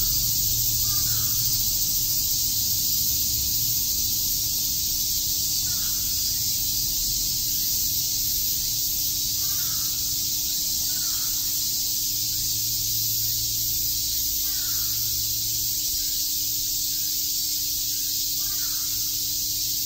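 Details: Summer cicada chorus in Shakujii Park, Tokyo, a continuous shrill buzzing wall of sound, with scattered distant crow caws and a faint low rumble.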